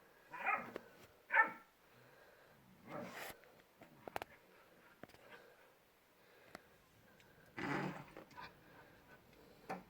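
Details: Two dogs, Shira and Enzo, a puppy and an adult, playing in a yard; a few short barks, two close together near the start and another burst later, with quiet gaps and small knocks between.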